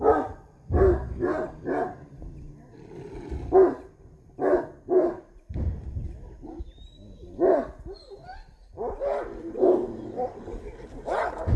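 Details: Fighting street dogs clash over a female with clusters of rough barks, short lulls, then bursts of snarling and yelping barks; a faint high whistle-like tone passes briefly in the middle.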